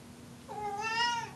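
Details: Pet cat indoors giving a single rising then level meow lasting about three-quarters of a second, clear harmonics, in a quiet room.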